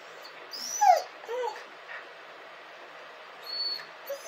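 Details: Dog crying and howling: short high whines sliding up and down around the middle of the clip, a sharp yelping peak near one second, then quieter whimpers and a faint high tone later, over low steady background hiss.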